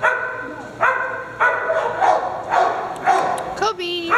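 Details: Dog barking during playtime on a farm, a run of quick, uneven barks mixed with overlapping voices, ending in a higher, drawn-out yelp.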